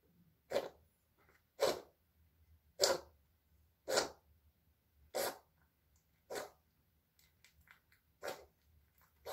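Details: Male Pomeranian, ill for two months, indoors: a series of short, sharp, noisy bursts about every second, eight in a row, with faint rustling between.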